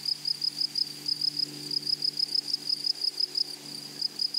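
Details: Grasshoppers in a flowery meadow prairie, chirping in high, shrill pulses of about three per second, steady throughout, over a faint low hum.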